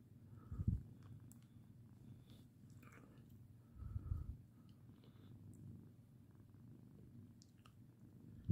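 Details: Lirael, a pet cat, purring while being patted: a quiet, steady low rumble throughout, swelling into louder bursts around the first and fourth seconds, with faint scattered clicks and rustles above.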